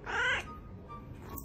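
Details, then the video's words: Domestic cat from a humorous talking-cats reel gives one brief, bright, strained meow of under half a second, then near quiet with faint background hum. "talking cats"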